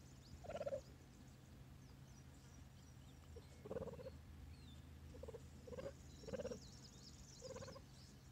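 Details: Four three-month-old captive cheetah cubs at a carcass feeding of frozen-thawed rabbits; short high chirps come singly or in pairs every second or two, over a steady low mechanical hum.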